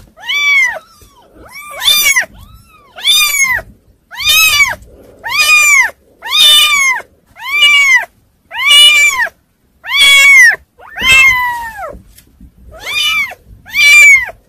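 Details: Kittens meowing nonstop, high arched harmonic mews repeated about once a second for the whole stretch, loud and clear, each call rising then falling, with faint rustling underneath.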